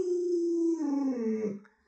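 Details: Luoluo, a pet Alaskan Malamute, gives a sustained tonal howl-like moan that holds steady, then sags lower and wavers before fading out within two seconds.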